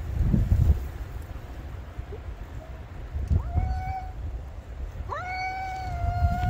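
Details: Black cat and white cat, apparently strays, in a vocal exchange; a couple of short faint sounds, then two drawn-out meows that rise sharply then hold steady, over steady low rumbling noise.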